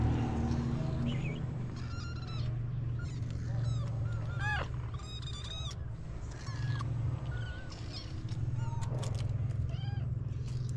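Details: White stray mother cat in Morocco nursing her five kittens as they compete to feed: many short, high, thin kitten mews in quick irregular bursts, some clustered, over a steady low hum.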